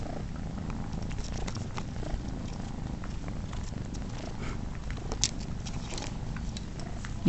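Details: Domestic tomcat purring as three kittens that are not his own nurse from him and he grooms them: a low, even rumble running throughout, with soft rustling and small clicks of movement above it.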